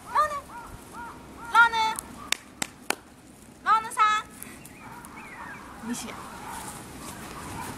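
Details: Male toy poodle puppy born on February 25, giving high, squeaky whimpering cries with bright overtones in three short clusters over about eight seconds, with a few sharp clicks and soft background hiss between them.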